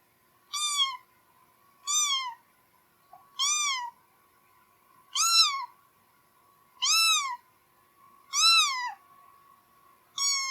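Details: Repeated domestic cat meows, about one every one and a half seconds, each a bright arched mew rising then dropping, over a steady faint background hum.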